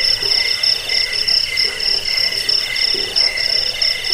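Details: Cricket chirping used to repel rats, lull listeners to sleep and tutor songbirds: dense, high, pulsed trilling in several stacked tones, beats pulsing steadily with no pauses and no other sounds.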